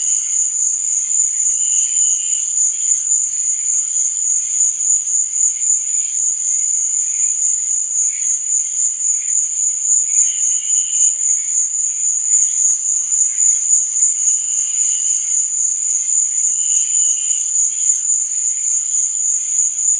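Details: Relentless high, shimmering trill of crickets on a night setting, steady in loudness, with scattered short lower chirps breaking through at intervals.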